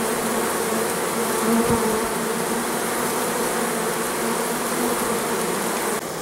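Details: Honey bees at an apiary in September, bringing in nectar during the goldenrod flow in perfect weather; a dense, steady hum of many bees fills the recording without pause.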